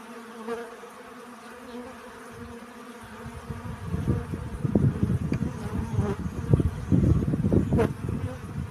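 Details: Bees collecting pollen, a low, dense buzzing that swells in after about three seconds and surges irregularly as insects pass close, over a faint steady background hum.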